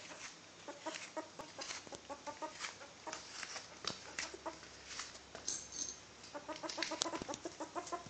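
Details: Six-week-old baby ferret kits, let out to play and happy, making "gaga" sounds: soft rapid clucking chuckles in quick bursts through the whole stretch, several per second, over a faint background hiss.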